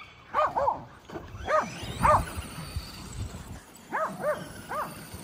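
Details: Kerry Blue Terriers chasing a Traxxas E-Revo remote-control truck bark in quick high arched yaps, paired bursts then a trio near the end, over a low whirring motor hum.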